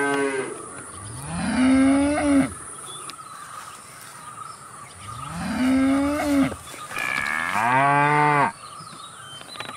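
Cattle moo in long, deep calls that rise in pitch and then hold, each lasting one to two seconds. Three moos come in close succession over a faint, steady background hum.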